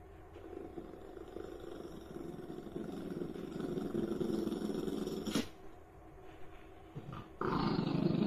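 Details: Shiba Inu guarding food, growling low and steadily: a deep rattling rumble pulsing almost four times a second for five seconds, then a sharp knock and louder handling noise indoors.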